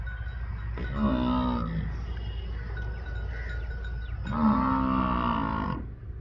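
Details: Water buffalo calling. Two deep, harmonic moo-like calls of about one second each, a few seconds apart, over a steady low rumble of background noise.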